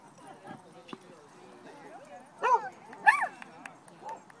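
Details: Dog at a park in Pasadena, running and barking at other dogs at play; two sharp, ringing barks about half a second apart stand out over soft background murmur and a person calling.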